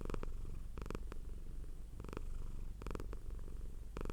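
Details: A cute domestic cat purring hard, a deep throbbing low rumble that runs without pause, with short crackling bursts standing out several times over a few seconds.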